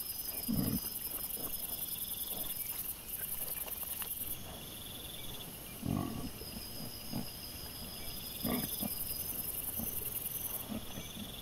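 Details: Wild boar piglets caught by a camera trap on 23 September 2024: several short, deep grunts spaced a few seconds apart, with quieter snuffling between them and continuous insect buzzing in the background.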